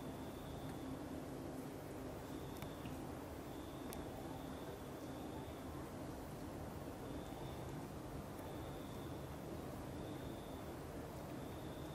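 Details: Constant broadband rumbling hum with faint, flat, high tones coming and going, and no animal voice.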